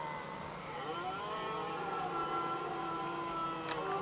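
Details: Red deer stags in Västmanland, Sweden, 2010, settling who gets the hinds: a sustained, wavering harmonic roar sliding slightly downward across the clip, ending with a brief sharp click.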